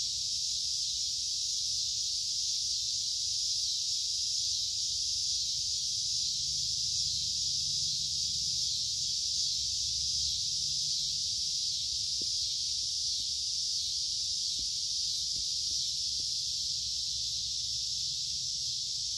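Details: Summer cicadas keep up an unbroken, high-pitched buzzing drone that holds steady throughout.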